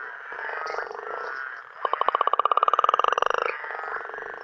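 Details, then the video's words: Frogs calling at night in Uganda: a dense chorus murmurs throughout, then one frog gives a fast rattling trill of about thirty rapid pulses lasting roughly a second and a half, steady and slightly rising, over the continuous background chorus. "Frogs and Toads, Uganda's night sounds"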